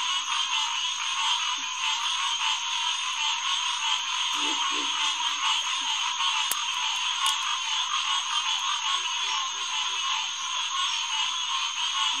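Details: Green tree frog chorus, Headquarters Pond at SMNWR, on a June 2021 night: a loud continuous mesh of many calling frogs, broken by a couple of sharp clicks and scattered low grunts underneath.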